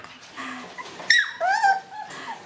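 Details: Black Shiba Inu puppies, four siblings born October 15, on their second day out in a room and newly able to move around; a short high whimpering yelp that bends downward, with a person talking softly indoors.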